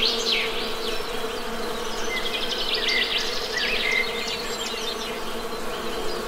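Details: Honey bees keep up an even, low-pitched drone while nearby birds add scattered chirps and short whistled phrases high above the hum.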